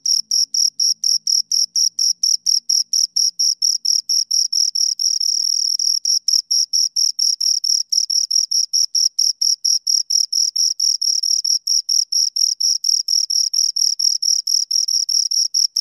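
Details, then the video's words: Steady chirping from two crickets heard right at the ears, rapid high-pitched pulses running continuously at a quick even pace, with a faint low murmur only in the first few seconds. "Two Crickets Chirp Sounds"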